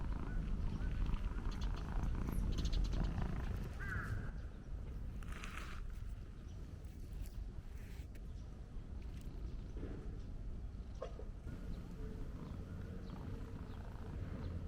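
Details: Stray black-and-white tuxedo cat met on a walk, purring while being stroked continuously; a low, steady rumbling throb under rustling and outdoor background noise.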